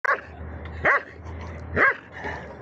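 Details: Dobermann aged 7 years 3.5 months: three sharp barks roughly a second apart, each a short harsh burst, followed by a fainter fourth bark at the end.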